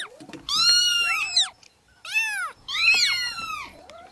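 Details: Newborn kittens meowing: three loud, high, arching cries with rich overtones, each about a second long and separated by brief pauses, over soft background mewing.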